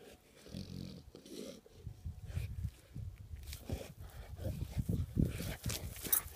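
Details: Bella, an English Mastiff, playing with a rock: low rumbling growls and grunts come in uneven bursts, mixed with sharp scraping and knocking noises from the rock.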